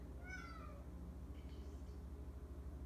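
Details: Young domestic cat crying indoors in the evening; a single short, faint meow falling in pitch near the start, over a steady low hum.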